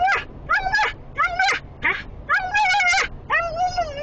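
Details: Excited female Siberian husky reacting to the smell of sheep on a trailer ahead, confined in a small vehicle. Seven rapid, wavering, high-pitched whining yelps with rich overtones, some bending upward, follow one another with barely a break.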